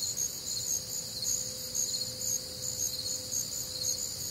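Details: Crickets and other nocturnal insects on a warm, humid Midwestern summer night; a dense high-pitched chorus of pulsing chirps, roughly two per second, layered in several bands, with a faint low hum underneath.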